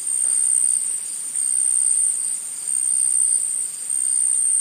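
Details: A forest insect chorus keeps up a continuous, piercing high buzz. The volume swells and dips roughly every second or so over a faint low background hiss.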